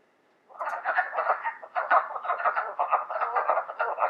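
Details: Wood frogs at a spring vernal pool, where frogs gather to breed in rainy weather, give a dense run of raspy, duck-like clucks that blend into a steady chorus, distinct from spring peepers.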